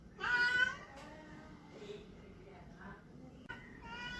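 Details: A male Persian cat, trying to find a mate, gives a loud, strained meow followed by softer, wavering mews.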